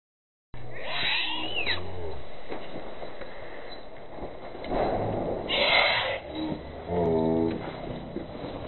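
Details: Baby monkey crying as it begs its mother for milk and is refused; loud, wavering high wails that arch up and down near the start and middle, then a burst of short pulsed cries toward the end over rustling.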